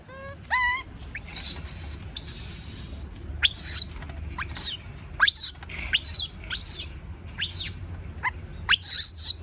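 A baby monkey screams in shrill, squeaky bursts, frightened at being left alone.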